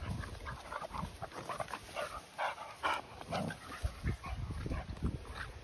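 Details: Continental Bulldogs at home: Rita, a 10-month-old female, welcoming her 2-month-old brother Sumo. Quick rhythmic breathy huffs, about two per second, uneven in strength, with deeper snuffling grunts between.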